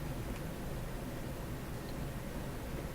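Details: Only a steady low rumble and hiss of background noise, with no animal calls.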